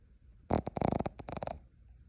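A Boston Terrier puppy gives one snore in its sleep. It is a buzzy, rattling breath made of rapid flutters, lasting about a second before the room falls quiet again.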